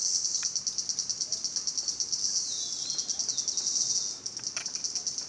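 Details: High, pulsed cicada buzz from Salta, throbbing rapidly and evenly, with a lower sliding tone briefly underneath and a few faint clicks near the end.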